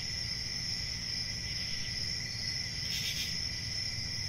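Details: Crickets chirping in a steady, unbroken high-pitched trill, several layered tones holding constant, with one brief louder swell near the end over a faint low rumble.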